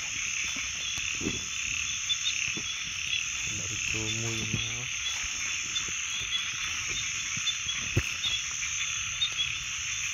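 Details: Frogs calling in a dense, unbroken high-pitched chorus that hums steadily throughout. One short, low, throaty croak with a rippling quality stands out near the middle.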